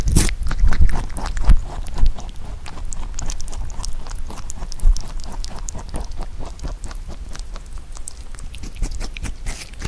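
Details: Rabbit kept as a pet munching Korean melon, which it rarely ate when young but now eats well; rapid rhythmic crunchy chewing ticks, about ninety a minute, with a few heavier bites early.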